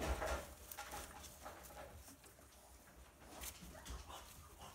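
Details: Six Siberian Husky sibling puppies born 30 January 2020, at a breeder in Hamamatsu, Shizuoka, jostle to nurse, giving soft, squeaky whimpers and small grunts amid shuffling, snuffling noise.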